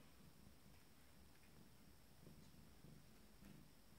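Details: Abyssinian kittens from a first litter, 27 days old, exploring in the morning indoors; a soft, low, steady purr pulses throughout with faint rustling in a quiet small room.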